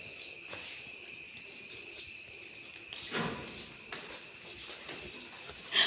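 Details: Steady high-pitched cricket trill heard during a hand catch of crickets, faint and continuous, with soft thuds and rustles of movement at about three and four seconds and a sharp brief noise at the close.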